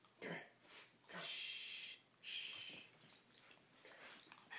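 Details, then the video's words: Two dogs named Poppie and Nellie at play, giving breathy, wheezing huffs in bursts of about a second, with hissy broadband rushes and a few short snorts between. "Dogs at Play"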